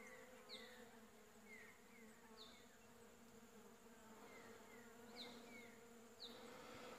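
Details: Honey bees working a blooming shrub for pollen in winter, late July 2015: soft even background hum of many bees, overlaid by scattered high falling chirps and short whistled notes from other animals.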